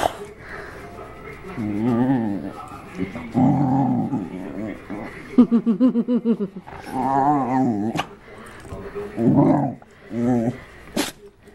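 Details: Pet dog named Arran grunting, groaning and shrieking with pleasure during belly rubs: pulsing low throaty groans, a rapid stuttering run of grunts, and a higher squeal near the end, with speech mixed in.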